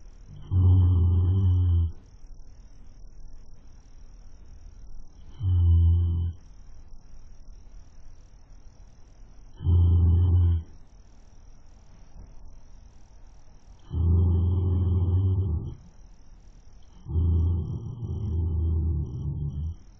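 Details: Webcam recording of a horse snoring as it sleeps: five deep, rasping snores of one to two seconds each, spaced irregularly about three to four seconds apart, with quiet gaps and a faint hum between.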